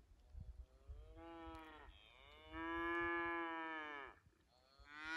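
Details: Scottish Highland Cattle cows on a farm in Finland, running through snow towards a forest on 6 January 2021, filmed with an iPhone 11: a short moo, then a long, loud, steady lowing moo, and another starting at the end, over soft trampling.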